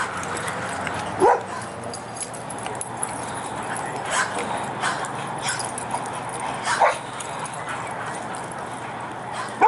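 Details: Dogs playing as a pack at a Prescott, Arizona dog park: a few isolated sharp barks, near the start, past the middle and at the end, separated by long gaps of steady hissing background noise and faint distant voices.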